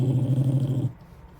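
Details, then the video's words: Wire-haired dachshund, a rescue fresh from a shelter, grumbling while being given an indoor bath: one steady, deep rumbling growl lasting under a second, then it stops to quiet room noise. "Grumbly wire hair DACHSHUND gets a bath, sort of"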